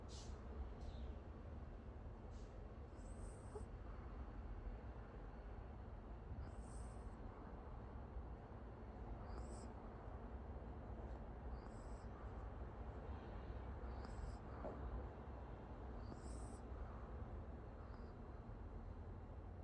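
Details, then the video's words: Sleeping Pomeranian named Oki snoring, faint low rumbling breaths broken by thin high whistling squeaks about every two to three seconds, over a steady low background hum. "포메라니안 코골이"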